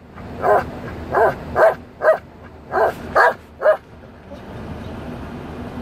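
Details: Belgian Malinois dog singing along to a song, giving seven short yowling vocal bursts at irregular intervals over about four seconds, then quiet background.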